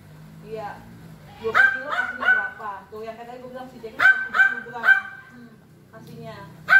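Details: A neighbor's lively, friendly corgi named Jack barks in short bright bursts, grouped in quick runs of three, with soft voices and a faint low hum in between.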